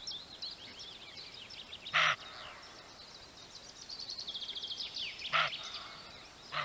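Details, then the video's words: Roe buck barking: short, harsh, broadband barks at about two and five seconds, with another starting at the very end, over a steady chorus of high, twittering songbirds. "Szczekający Koziołek"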